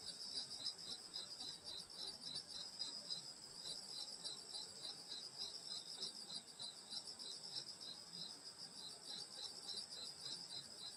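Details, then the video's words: Summer night in the rural countryside, grass insects forming a thick high shimmering drone with quick, evenly pulsed chirps repeating several times a second, unbroken for the whole stretch. "여름소리 풀벌레소리 시골밤소리"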